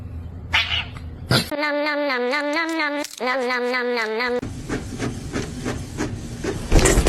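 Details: Domestic cat giving two long, wavering, drawn-out meows with a strong nasal, harmonic tone, each lasting over a second, followed by a stretch of rustling and handling noise.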